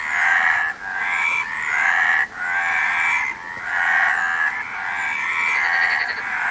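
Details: Frogs give loud, grating croaks in long overlapping runs, with two clear pauses breaking the chorus and a faint higher buzz near the end.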